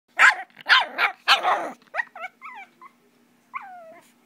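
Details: Puppy playing with its tail gives three harsh barks, then a run of short high yips and whines with falling, wavering pitch, ending in one longer whine; otherwise quiet.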